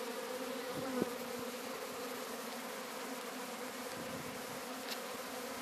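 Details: Many Sicilian honey bees buzzing as their swarm is captured in Sciacca: constant droning hum, rich and steady, with a small knock early on.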